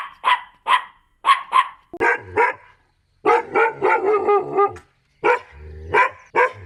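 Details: Dogs of different breeds barking in a compilation: sharp high yaps overlap with deeper barks, forming a busy, dense cluster of rapid barking with brief pauses between bursts.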